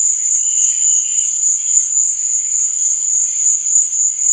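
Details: Crickets at night producing a sustained high, buzzing trill with gentle swells in volume and a faint secondary chirp early on.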